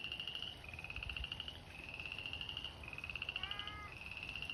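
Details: Several frogs at a spring pond, an abandoned fish pond called the Slough, trade long, buzzy, evenly pulsed trills back to back, a short falling harmonic call cutting in toward the end, and faint low thuds early on.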